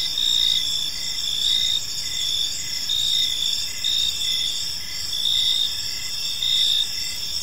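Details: Crickets chirping in a peaceful park as evening unfolds: a dense high-pitched chorus of overlapping trills, with pulsed chirps swelling roughly once a second over steady faint background hiss.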